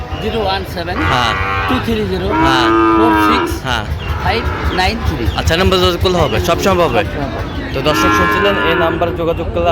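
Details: At a crowded Bangladesh cattle market, 22 September 2025, Sahiwal bull calves about five months old give repeated long, droning moos, the loudest near the middle, with voices and market clatter all around.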